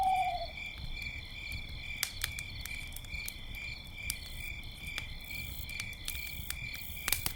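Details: Crickets chirping at night beside a campfire, a steady high shimmering trill in several layered bands throughout, with sharp crackles and pops of burning wood and a brief owl hoot at the very start.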